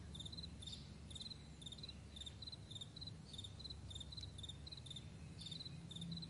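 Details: Crickets chirp across a vast meadow in the morning, quick high pulsed notes in steady succession, with only a faint low rumble behind.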